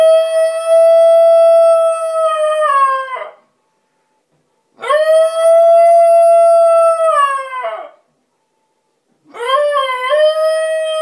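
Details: Pet basenji howling indoors while its owner is away, missing her: three long, steady, harmonic-rich howls of about three seconds each, separated by short pauses, each ending in a slight downward waver.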